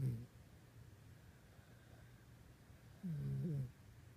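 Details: Pet dog snoring in its sleep at night, indoors. A cut-off snore opens, then after a quiet stretch comes one short, low, buzzy snort with a slight rising then falling tone.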